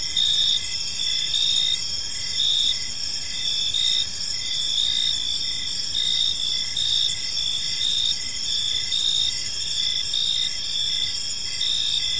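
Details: Chorus of crickets chirping in a park as evening falls: a constant piercing high buzz with regular bursts of chirps roughly every second, loudness rising and falling gently throughout.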